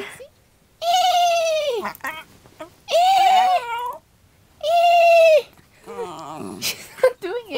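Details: Two-year-old female West Highland White Terrier howling back at people imitating horse sounds, which she answers though she ignores dog howls; three sustained, steady tonal howls about a second each, separated by pauses, followed by brief talking.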